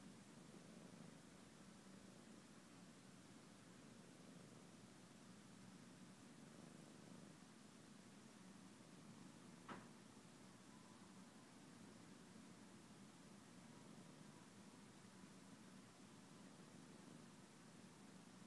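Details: Detective the cat purring contentedly on favourite blankets, a continuous deep rumble holding steady the whole time, broken only by a single brief click midway.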